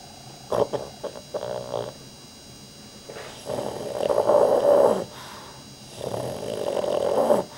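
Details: Pet dog asleep indoors, snoring louder than any human and twitching hard in sleep: short rough snorts in the first two seconds, then two long, loud, rasping snores of nearly two seconds each, separated by quiet pauses.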